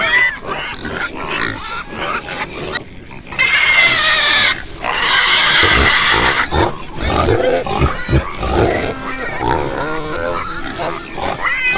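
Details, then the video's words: Several pigs squeal and grunt together. Harsh, high-pitched screams come in long bursts, mixed with shorter rough grunts and overlapping squeaks, and the noise stays loud and crowded throughout. "pig sound"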